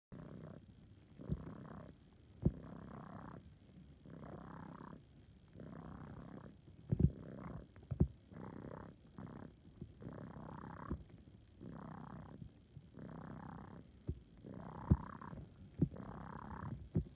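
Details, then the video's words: A male kitten purring close up, likened to an air pump: rough rumbling breaths in regular bursts roughly every second, each a wheezy pulsing rasp with short pauses between, plus a few soft clicks. "My cat sounds like an air pump"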